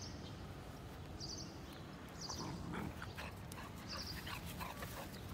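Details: A 50-day-old Golden Retriever puppy gives soft, short whimpering yelps in two brief bursts, low and faint over steady background hiss, with a repeated high chirping from another source in the background.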